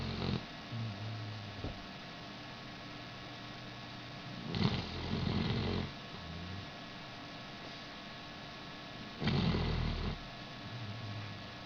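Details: A 5-year-old Basset Hound snores in deep, rumbling breaths spaced several seconds apart while sleeping after an operation to remove a cyst.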